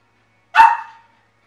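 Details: Joker, a pet dog objecting to his food dish, lets out one sharp, loud bark with a quick attack and a short fading tail, in a quiet room.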